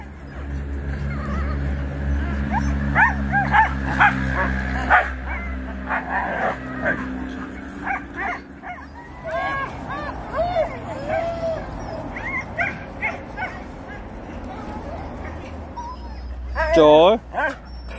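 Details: Several Siberian Huskies vocalizing during a commercial shoot, with wavering howl-like whines, rising and falling yips and short barks over a steady low hum, and a loud whining burst near the end.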